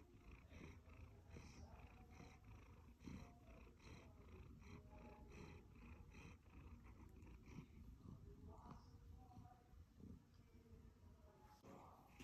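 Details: A happy one-year-old male Siberian Forest cat purrs steadily, a low rumbling drone pulsing in an even rhythm.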